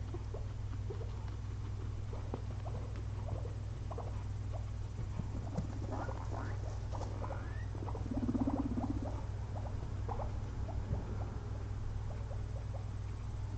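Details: Napping pair of pet guinea pigs, resting after a long day spent eating frozen blueberries, give scattered brief upward squeaks, clustering midway, with a brief low murmur and constant low background hum.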